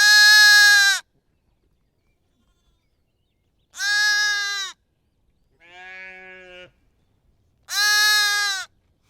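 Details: Lamb and sheep bleating: three loud, high, wavering bleats about a second long with rich harmonics, spaced roughly four seconds apart, plus one softer, lower bleat between them; otherwise quiet.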